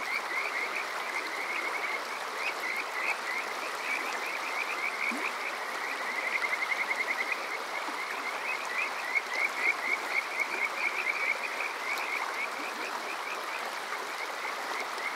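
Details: Kajika frogs on a summer night at Yokoze's Water Park Shirayama, Chichibu District, Saitama, Japan, recorded with a TASCAM DR-05X: a dense, continuous chorus of fast upswept whistles that swells in the middle, backed by running-water noise.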